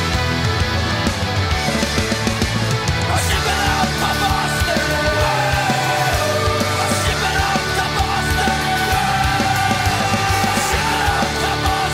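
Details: Loud, driving rock music with heavy drums and distorted guitars plays continuously during a dog obedience training session, with no barking or other animal sounds.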